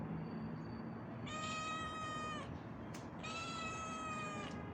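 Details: Pregnant homeless cat on a street, wanting to play, gives two drawn-out, steady meows of about a second each, separated by a short pause, over a constant rumble of street traffic.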